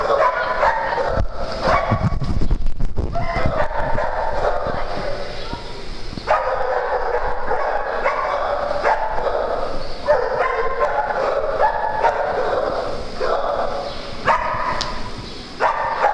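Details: Dogs playing together on a farm; repeated barking and yipping bursts in clusters, loud throughout, with people's voices and scuffling noises mixed in.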